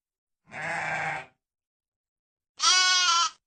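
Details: A sheep gives a lower, hoarse baa followed after a gap by a brighter, higher-pitched bleat with a tremulous, wavering tone; silence otherwise.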